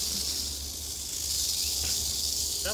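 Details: Rattling eastern diamondback rattlesnake in Florida in a full defensive pose beside a person with a stick. An unbroken, high, dry buzz fills the clip, and a short bit of human speech comes at the very end.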